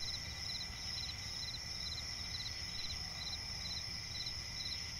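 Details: Cricket chorus at night in a swampy forest: quick, evenly spaced pulsed chirps a little over twice per second layered on a steady shrill drone, with soft low rumble.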